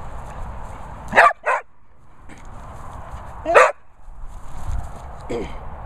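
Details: Springer Spaniel named Holly Berry, a vocal dog at a Worcestershire training kennel, gives two pairs of sharp barks about two seconds apart, with a softer whine near the end over steady background hum.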